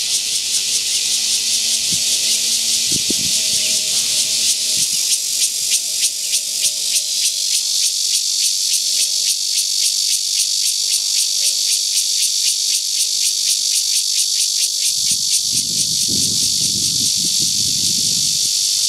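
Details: Cicada calling: a loud, steady, dense buzzing hiss high in pitch, pulsing rapidly and continuously throughout, with faint low thumps and a brief rumble near the end.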